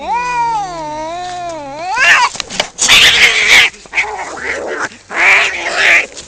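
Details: Fighting cat: a smooth, undulating yowl breaks into harsh, noisy screeches and spitting bursts, which repeat in rough outbursts.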